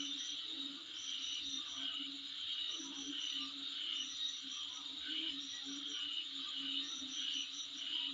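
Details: Insects calling in front of a home: a steady high buzzing chorus with short pulsed chirp bursts repeating near the top of the range, over a constant low hum.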